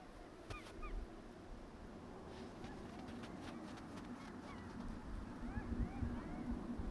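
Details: A group of jackals calling at night near a snowbound mountain village in winter, at about minus ten degrees: faint, distant, high yelps and short rising-falling wails scattered irregularly over a steady low hiss.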